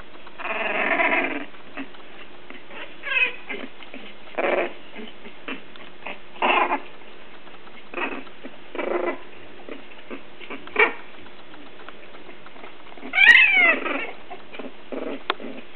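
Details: A litter of three-week-old English Bulldog puppies at play gives short squeaky squeals and grunts, with one higher wavering whine.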